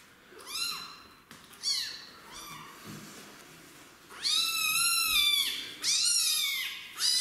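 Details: Rescued street kitten protesting during its first bath, not wanting to shower: a string of high, wavering meows, starting softer and growing louder and more insistent, each cry arching up then falling, about one every second.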